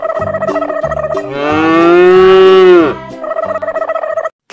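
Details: Farm cow (lembu in Malay) lowing once, a sustained moo lasting under two seconds with a slight rise and abrupt fall, set between light repetitive children's music before and after.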